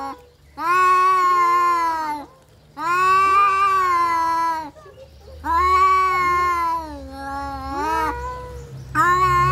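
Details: Domestic cats fighting, giving long drawn-out harmonic yowls that waver and bend in pitch, four sustained wails with short pauses between them, low hum in the background.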